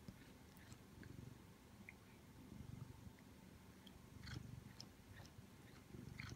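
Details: Simon, a pet Siamese cat, purring indoors while making a repeated mouth movement. The low rumbling purr swells and fades in slow pulses, with soft clicking mouth sounds on top.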